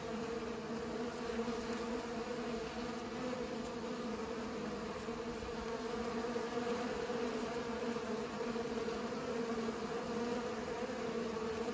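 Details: Bees pollinating flowers produce a constant droning buzz, low and smooth, its overtone swelling slightly at times while the hum never stops.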